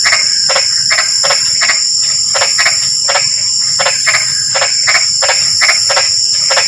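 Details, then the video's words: Rain-time frog chorus in drizzle: evenly spaced, rattling croaks come steadily around three per second, layered over an unbroken high insect buzz. "SUARA KODOK HUJAN GERIMIS"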